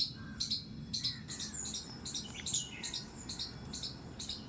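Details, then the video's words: Squirrel squeaking in a terrace garden: piercing, short high notes in quick clusters, some doubled, with a faint thin whistle and occasional softer bird chirps underneath. "squirrel's squeak squeak sound"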